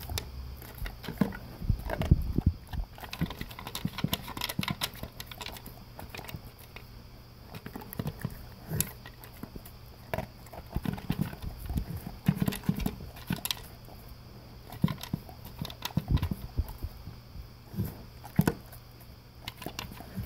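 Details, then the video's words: Male English cream golden retriever eating dry food for breakfast from a blue slow-feeder bowl with concentric circles: irregular crunching bursts and kibble clatter, with louder crunches around two, nine and thirteen seconds, over a steady low room hum. "Crunch Crunch - Golden Retriever Eating His Breakfast"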